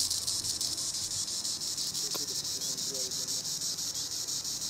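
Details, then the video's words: High in the treetops, a green annual cicada (Tibicen linnei) drones a dense, sizzling buzz that throbs in rapid regular pulses, steady throughout with only a faint click partway. "Green Annual Cicada tibicen linnei (Cicadidae) sounds recording in the treetops"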